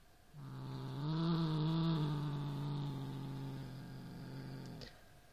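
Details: Indoor Siamese cat confronting a rat toy, giving one sustained low growl lasting about four seconds, steady and rumbling with a slight lift in pitch early on.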